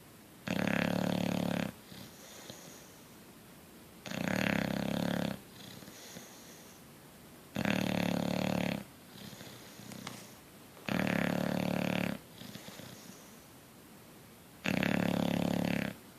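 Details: Coach, a bulldog, asleep and snoring: five loud, rasping snores, each about a second long with a low buzzy core, come at steady intervals of roughly three and a half seconds, with soft breathing in the quiet gaps.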